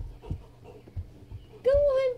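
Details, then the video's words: Jackson the Weimaraner, stuck under the bed for half an hour and frustrated, lets out a single clear, sustained whine that holds steady then dips slightly, following quiet bumps and a person urging him out. "Frustrated Weimaraner Stuck Under the Bed"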